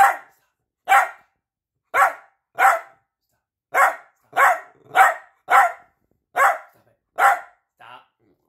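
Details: Barking from Peanut, a piebald Dachshund seeking attention: a run of about eleven sharp barks, irregularly spaced and bunching closer in the middle, ending with a faint softer yip.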